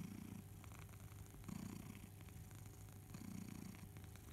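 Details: A low, rumbling purr from Barnaby the house cat as he suckles his teddy bear Boo, swelling roughly every one and a half to two seconds with each breath, with faint clicking sounds.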